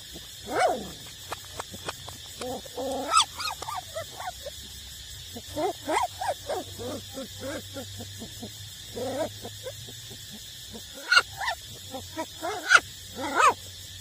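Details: Eight-week-old street-dog puppies still nursing from their mother, giving short high whimpers and yips scattered through the clip, some rising and falling, with quiet gaps between bursts and a steady low hum beneath.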